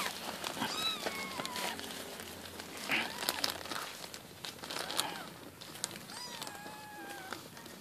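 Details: Newborn wild kitten being spoon-fed milk because it cannot nurse from its mother: several thin, high mews falling in pitch, some drawn out, among crinkling and handling noises.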